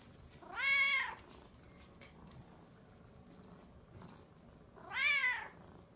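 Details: Domestic cat meowing twice indoors, each call a clear, arching, slightly nasal mew about half a second long, spaced roughly four seconds apart, with a quiet room between calls.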